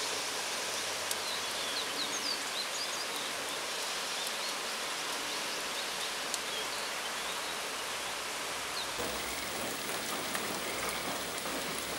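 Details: Steady rain hisses evenly throughout, blending with a rushing sound like a nearby stream. No animal voice stands out above the water.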